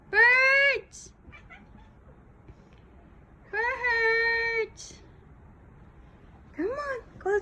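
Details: A pet cat calls while watching birds as a person urges it on; three long, loud meows about three seconds apart, each held and slightly bending in pitch, with faint chirps and a person's voice between them.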